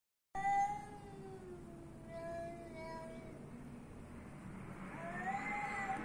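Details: Street cat meowing: a drawn-out, tonal meow sliding gently downward, then a few shorter, quieter mews and a final rising-falling meow near the end, over low background rumble.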